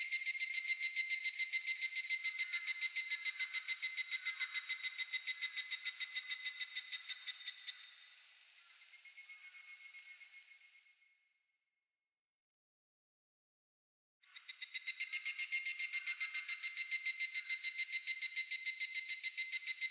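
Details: Japanese cicada song, a loud metallic buzz of rapid, regular pulses that fades into a thinner hiss, stops for about three seconds of silence, then bursts back at full strength.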